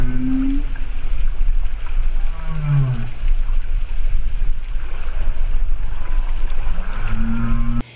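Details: Male humpback whale recorded by hydrophones six nautical miles off the Los Cóbanos reef complex, Sonsonate, sings deep, long, drawn-out moans sliding up and down in slow phrases; the song may serve to attract females or mark territory.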